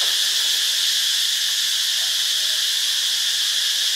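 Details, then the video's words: Cicada singing in Ubon Ratchathani, Thailand: an unbroken, hissing high buzz at constant loudness, rough in texture, with a faint low hum beneath. "เสียงจักจั่น (Cicadidae)"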